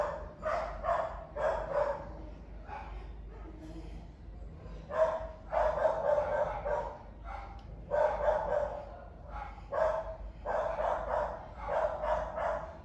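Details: A dog barking while a monkey listens with curiosity; short harsh barks come in uneven bursts of two to five, with brief pauses between the groups.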